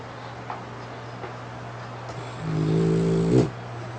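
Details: Tired from play, a French Bulldog dozes with its eyes still open, lips puffing as it snores; a single drawn-out, nasal, buzzing snore near the end, backed by constant low hum and background hiss.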